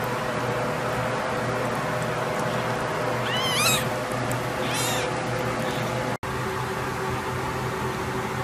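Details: Hairless Sphynx cat giving two drawn-out meows about a second apart, each bending up then down in pitch, against a steady low electrical hum and hiss.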